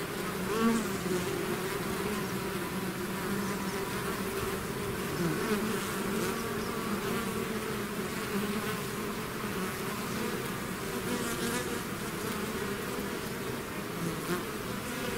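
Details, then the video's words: A bee swarm that has left its hive fills the air with a constant layered hum, low droning tones drifting up and down while the overall loudness stays even. "bees therapy swarm natural buzzing sound"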